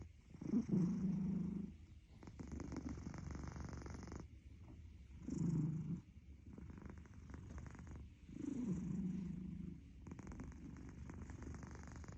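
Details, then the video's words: Snoring domestic cat: deep, buzzing breaths rise and fall in uneven cycles. Loud humming phases are separated by quieter, grainy, pulsed stretches. No other sounds intrude. "Snore now, cuddle later."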